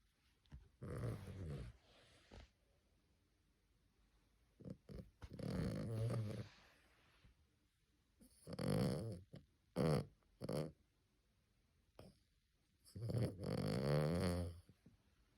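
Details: Sleeping puppy snoring like an old man indoors: rough, rumbling snores in bursts of one to two seconds, some with a growly, rattling edge, repeated irregularly about every three to four seconds with near silence between.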